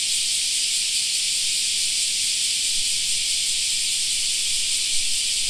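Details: Steady shrill buzzing of many cicadas in a summer park, a seamless high hiss without breaks, joined by a faint low background rumble and one small knock near the end.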